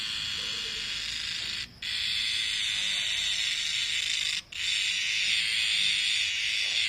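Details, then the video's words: Cicadas heard at night in the jungle, a loud continuous harsh buzzing drone that cuts off briefly twice, then resumes at full strength. "#cicadas #reriang #insectworld #loud #noise"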